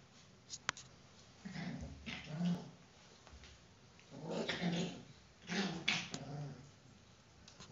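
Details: Four-week-old Whippet puppy growling while playing with his mother indoors: low, rumbling growls in three bursts separated by short pauses, with faint whimpering overtones.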